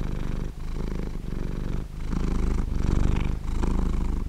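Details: Close cat purr, a rough low rumble with a fine buzzing texture, interrupted by quick dips as the cat breathes about every 0.6 to 0.7 seconds.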